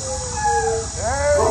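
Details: German Shepherd named Ace at a dog training company; a steady whining howl held level, then a bend that rises into a higher, wavering whine, over background music.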